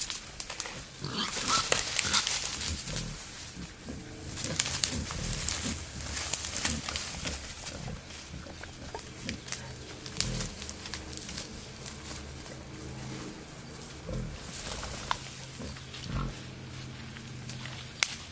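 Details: Wild boar, a male courting a female in the wild, giving frequent short, low grunts in irregular bursts, with steady rustling and crackling of undergrowth throughout.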